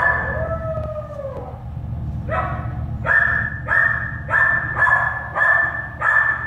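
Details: Starting with a long downward-sliding whine, American Staffordshire Terrier puppies born at an animal shelter then yap in six evenly spaced, bright, ringing yelps, against a steady low droning background.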